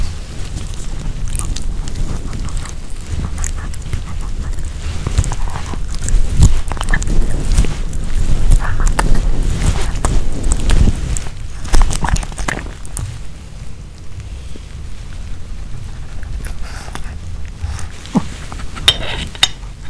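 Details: Nino the Pomeranian chews a homemade chicken hearts and bell pepper kebab: dense wet chewing and biting, several crunches per second, growing quieter and sparser in the last seconds, ending with a few sharp clicks.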